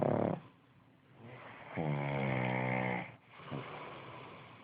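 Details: Pug dog Tommy Tantrum snoring: a long droning, buzzy snore held for over a second, then a shorter snort, with low breathing between; a person murmurs "aw" just before.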